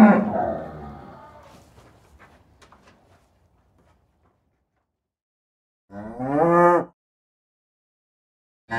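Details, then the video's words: Cows in a field: a fading, rough vocal sound opens, followed by scattered faint clicks and quiet, then a short, clear harmonic moo of under a second, with another call cut off at the very end. "Sound of cows mooing"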